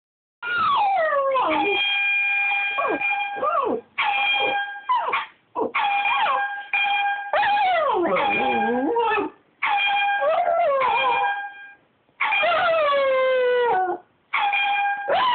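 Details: Pet dog howling along to an air horn app indoors, long wavering howls that slide up then fall, broken by short pauses, alternating with steady flat blasts of the horn.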